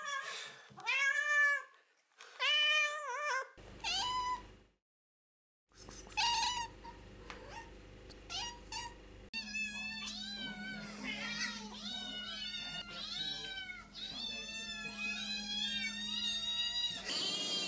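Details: Domestic cats giving loud, direct meows that demand attention, as when asking for food or wanting to play: several drawn-out, wavering meows, some rising then falling, from different cats, with background music in later parts.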